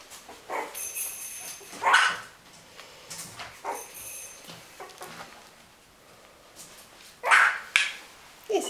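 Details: Litter of puppies, Winny's litter, indoors; two loud short high yelps stand out near two and seven seconds, with fainter squeaks and soft murmuring human voices between them.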